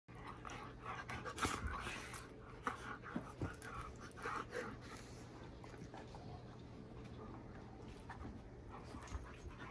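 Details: A female German Shepherd named Leia pants rapidly while playing with her little brother, giving a fast, uneven string of breathy huffs with scattered louder bursts and a low steady hum underneath.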